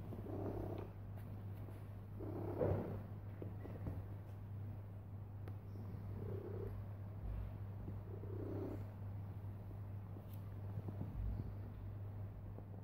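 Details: Cat lies down and purrs so loudly it fills the room: a low vibrating hum throughout, with intermittent breathy swells and a few small knocks and rustles.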